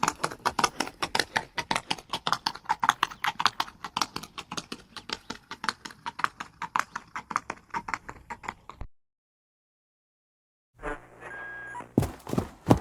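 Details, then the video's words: Galloping horse, a rapid stream of hard hoof strikes in quick succession for about nine seconds, then a sudden drop to silence and a short unrelated burst of noise at the end. "Sound effects of the sound of Horse running⚡Horse galloping"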